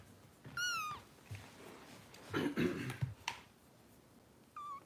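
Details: Foster kittens being bottle-fed by rescue volunteers in Los Angeles; a clear high meow falling at its end, a softer mew near the close, with low rustling and feeding noises between.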